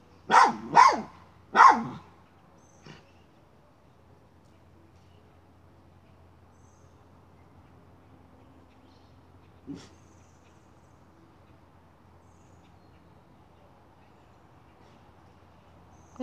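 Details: Miniature schnauzer hunting a chipmunk and moving a pipe, giving three quick loud barks in a burst, then a long quiet stretch with one faint yip and another bark starting at the end.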